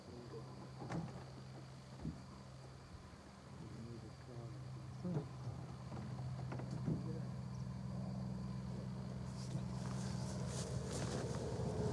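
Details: A steady engine hum with a few knocks and faint voices, then rising wind noise, and no animal calls.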